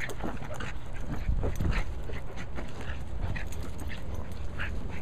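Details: A Cairn Terrier named Abby, busy with her ball, breathes in fast rhythmic panting bursts, short and airy, against a constant low-pitched background hum.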